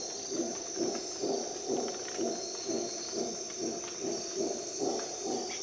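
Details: Dawn in a Costa Rica jungle, howler monkey roaring in low rhythmic bursts, roughly two per second, each a rough throaty pulse, with a constant shrill insect hum above.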